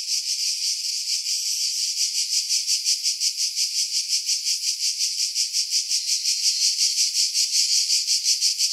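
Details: Cicada chorus among pines above Pefkos Bay on Skiros, Greece, July 2018: a steady, hissing high-pitched buzz throbbing in regular pulses roughly every third of a second, filtered to remove wind.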